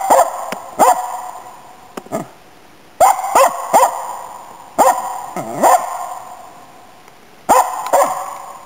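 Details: Finnish Spitz Nella barks during an autumn 2010 bird hunt for waterfowl and game birds in Inari; loud, clipped barks fall in quick pairs and triplets, some ending in a short dropping whine, separated by brief pauses.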